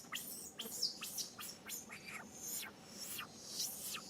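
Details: Baby monkey Sariki crying while its mother Sarika teaches it 'back style': shrill, high screeches that sweep steeply downward, several in quick succession over about four seconds, with a low hum of background noise.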